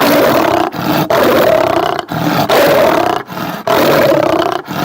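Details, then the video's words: A tiger roars in loud, rough bursts, each lasting about a second and repeated with brief pauses. "എന്ത് വലിയ ശബ്ദമാണല്ലേ കടുവ ഉണ്ടാക്കാറ്. ആ ശബ്ദം നമുക്ക് ഒന്നും കൂടി കേട്ട് നോക്കിയാലോ? പേടിക്കരുതേ."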